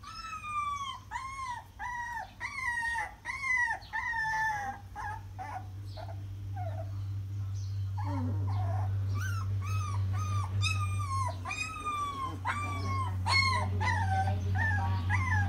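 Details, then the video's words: Puppies crying in a steady run of arching, harmonic whines, briefly pausing midway, then resuming over a constant low mechanical hum. "Puppies crying"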